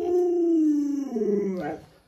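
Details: Luoluo, a pet Alaskan Malamute in a hide-and-seek game with its owner, lets out a long, tonal howl that glides slowly lower. It breaks into a wobbling, yodel-like tail before fading out.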